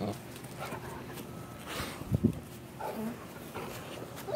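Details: Female Great Pyrenees, happy to see her owner and jumping up onto the trampoline she loves, gives short, low whimpering bursts near the middle and again toward the end over steady indoor background noise.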